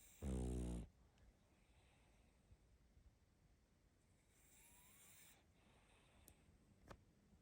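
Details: A little female pug puppy asleep, giving one loud, low, rattling snore in the opening second, followed by quiet room tone with a faint soft whistle and a couple of small clicks.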